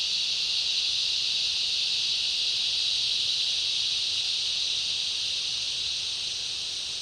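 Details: Summer rainforest cicada chorus mixed with other insects: an intense, even, high-pitched whirring that stays constant for the whole stretch, fading a little toward the end, with nothing else clearly heard.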